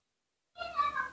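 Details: Nomi, a baby monkey, gives a brief, high, tonal scream in the morning, calling impatiently to be fed milk.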